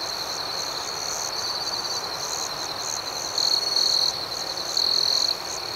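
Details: Crickets at night in a serene outdoor setting, a steady high-pitched shimmering chorus with two louder trilled bursts standing out near the end, gentle and rhythmic with no other clear sounds.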